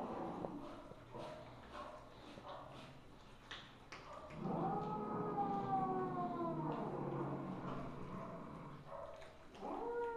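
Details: Mother cat Misu, a Wichienmaat or Siamese, on 2 February 2015 at 8:18 PM gives a long wavering yowl of over two seconds, then the start of another, amid low indoor hum and faint clicks.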